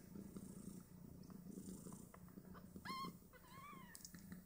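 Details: Five Snowshoe Siamese kittens aged two days nursing and competing for teats; low purring throughout, then a sharp squeal followed by a drawn-out, bending mew in the latter half.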